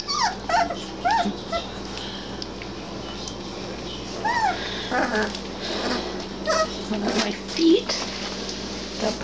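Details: Basset Hound puppies, three weeks old, playing at a person's feet and letting out arched, whiny yelps in quick runs, mixed with a woman's talking and a faint background hum.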